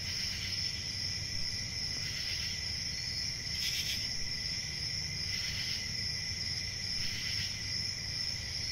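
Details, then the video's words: Continuous shrill cricket chirping holds an even high tone throughout, pulsing brighter roughly every one to two seconds over a soft low-frequency hum. "Cricket Sounds"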